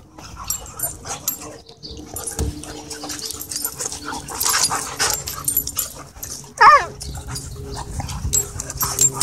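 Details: Several dogs at a dog park engaged in play; scuffling and panting-like rustle throughout, with one short, sharp, high whine that sweeps up and down near the end, over a steady background hum.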